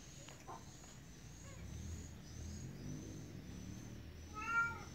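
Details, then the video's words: Kitten meowing, a single short, bright meow with stacked harmonics arriving near the end after several seconds of near quiet with only faint low hum and a thin steady high-pitched hiss. "anak kucing cantik dan lucu meong meong"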